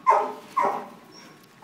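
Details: Female dog barking during a game of fetch: three short, sharp barks, the first two half a second apart, the last after a longer pause, with falling tone.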